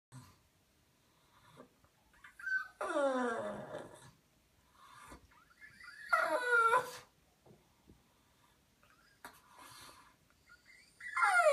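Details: Female pug Immi, wet and lathered with Malaseb shampoo for her skin allergies on a warm day, protests the ten-minute wait before rinsing. Three separate high, drawn-out whines, each sweeping up then sliding down, are broken by stretches of near silence.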